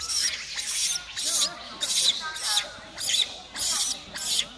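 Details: Young monkey separated from its mother, crying loudly with its brother nearby; about one raspy, breathy scream per second, with faint wavering tones running underneath.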